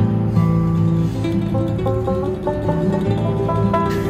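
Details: Plucked acoustic guitar music plays throughout, with sustained low notes and no animal sound present.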